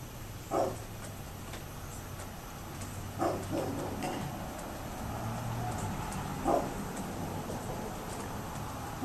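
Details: Distant barks from a neighbour's dog, three isolated short woofs spaced several seconds apart, partly masked by a low rumbling engine-like drone that comes and goes.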